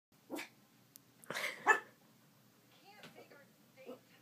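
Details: Poodle puppy barking at its own reflection: a short yappy bark, then a quick burst of two or three sharp, high barks close together, with quieter voice-like sounds afterward.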